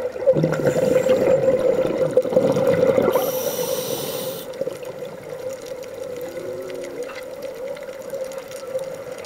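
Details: Humpback whales singing, heard underwater on a scuba dive off Hawaii: a long sustained mid-pitched moaning tone runs throughout, a brief wavering lower note follows late on, with rushing bubble bursts and hiss from diver breathing.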